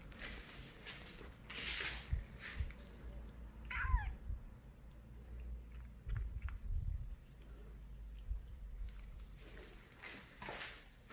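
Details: Kitten asking for a treat with an unusually cute voice, shown only when snacks are offered: a single wavering, downward-sliding meow midway, surrounded by bursts of rustling and handling noise and low hum.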